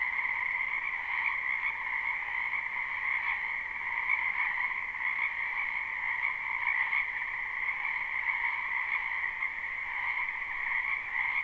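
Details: Frogs croaking in a spring wetland, live recording without looping: a dense, steady chorus forming a continuous trilling drone with two bright bands, middle and higher pitched, unbroken throughout, with no other sounds standing out.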